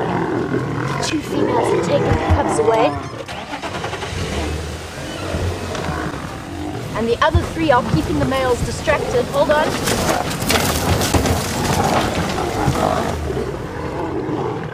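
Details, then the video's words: Lions at sunrise on August 11: three Birmingham Boys males visit the Nkuhuma Pride and cubs, and a fight breaks out as females protect their young. Harsh snarling roar bursts rise midway, over steady human commentary and vehicle engine hum. "Birminghams And Nkuhuma have a ROARING fight"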